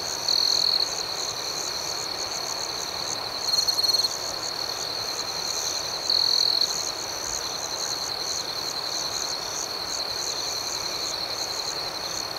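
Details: Nighttime crickets keep up an unbroken shrill trill while three louder, slightly buzzy chirp bursts stand out at spaced intervals in the first half; the background stays otherwise calm.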